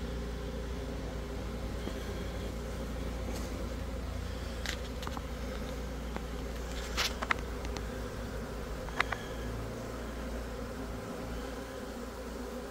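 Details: A swarming colony of Italian honey bees that has just left a backyard hive; a steady, low, dense humming drone of many bees throughout, with a few brief clicks and knocks.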